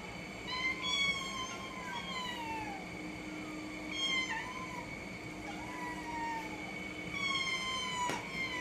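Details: Domestic cat meowing in drawn-out, harmonic calls that slide downward, three main calls spaced about three seconds apart, with a steady high tone running beneath throughout.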